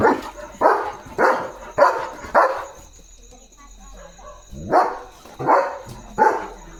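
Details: German Shepherd barking while guarding at night, alert and protecting its area in darkness; four quick barks, a pause of about two seconds, then three more barks, with faint steady hum behind.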